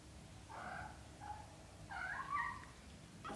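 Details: British shorthair kittens, a litter of four, between birth and 30 days old: a few soft, harmonic mews, one long, one short, then a louder wavering pair, over quiet low background hum.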